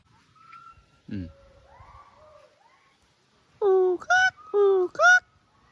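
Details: Hoolock gibbons around New Year give loud, harmonic whooping calls, alternating low hoots with higher rising notes, with another group answering from a different direction.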